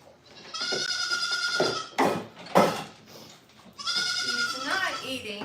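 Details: Goat on a farm giving drawn-out, tonal bleats, a steady one-second cry followed by a longer wavering bleat, with a woman speaking and handling noises in between indoors.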